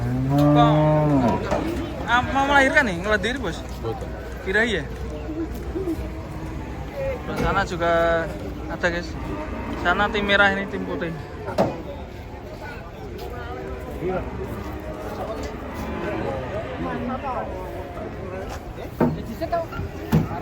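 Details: Cows coming down off a truck: a deep, drawn-out moo opens, then further lowing calls mix with excited voices and shouts of onlookers, fading into steady crowd chatter.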